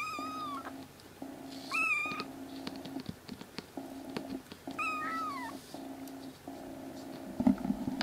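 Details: Loud crying from rescued black kitten siblings, three brothers being fostered indoors as they regain health; a few drawn, wavering meows, one bending downward at its end, separated by pauses, against a pulsing steady hum.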